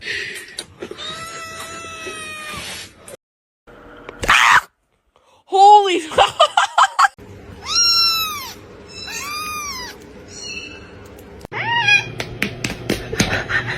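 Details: Domestic cat meowing among kittens: several harmonic, arching meows of varied length, some high and rising-falling, with gaps of silence, clicks and knocks, and a steady low hum in the background.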